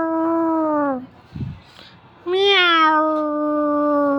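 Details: Mother cat with kitten: two long, steady harmonic meows, the first gently falling at its end, the second starting with a brief rise and then held level for nearly two seconds, with a short thump between them.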